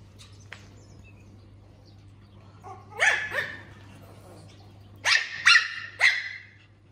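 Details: Puppy Puffyk reacting to a laser pointer, giving sharp high barks: a pair of yaps near the three-second mark, then a quick burst of three around five to six seconds, with a faint electrical hum beneath.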